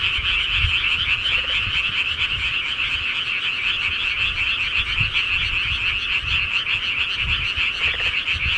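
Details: Countryside frogs calling at night, a dense continuous chorus of rapid pulsing croaks forming a steady bright band, with occasional low thumps underneath.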